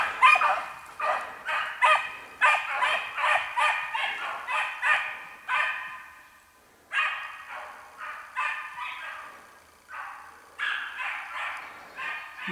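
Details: Young dog baying while running on a spring hare-coursing run, giving a steady series of loud, ringing barks about twice a second, pausing briefly, then resuming in shorter bursts.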